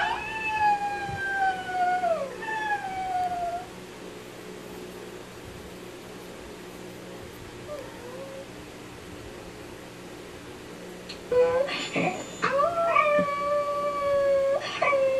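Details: A Cocker Spaniel puppy howls along with a video, giving long, drawn-out howls that slide slowly downward in pitch.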